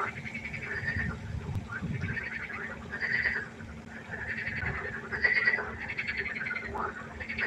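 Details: Frog chorus at night by a pond: overlapping bursts of rapid, rattling croaks in a mid-high register with buzzy overtones, swelling and fading in waves, plus a steady low hum underneath.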